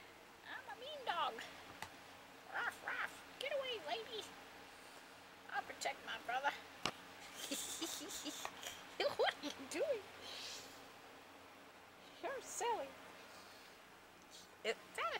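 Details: Playing puppies keep up scattered squeaky yelps and whimpers in loose clusters, some doubled, over fifteen seconds, with a person chatting to them and a rustle of movement in the middle.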